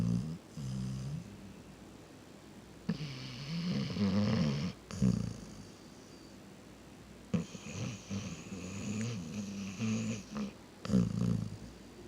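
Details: Sleeping pet dog Reese snoring: repeated low, raspy rumbling breaths, each inhale a few seconds long with a rough flutter, a brief snort between them, indoors and otherwise quiet.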